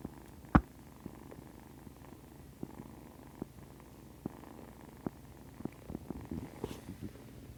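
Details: Nursing kittens purr softly while feeding, a low steady rumble broken by small clicks and bumps.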